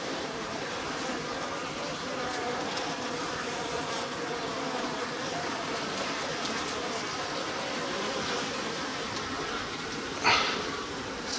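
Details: Colony of Japanese honey bees inside a stacked-box hive, spring, with activity increasing as the sliding bottom board is opened: dense continuous droning hum throughout, a sharp knock near the end.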